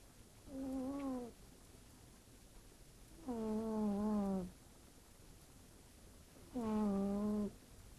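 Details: Sleeping pet cat named Fırfır snoring like a human indoors: three tonal, slightly falling humming snores, each about a second long, repeating roughly every three seconds with quiet pauses between.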